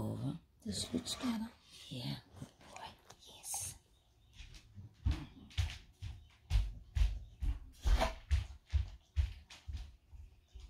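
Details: Moley, a male English Staffordshire Bull Terrier, eating raw steak and spinach-liver crumble for breakfast; soft talk and whispering first, then steady rhythmic chomping bursts roughly twice a second.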